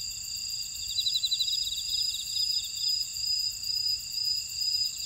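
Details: Chorus of insects in a Jeju buckwheat field in Ora-dong, South Korea: continuous shrill, layered buzzing, broken by a rapid pulsed trill that lasts under two seconds before the steady high drone carries on.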